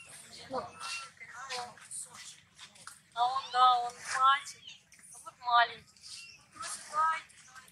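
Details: Infant monkey Maddix crying for no reason as his sister comforts him; loud wavering wails, rich and quavering, rise and fall in repeated bouts about a second apart, with softer whimpers between.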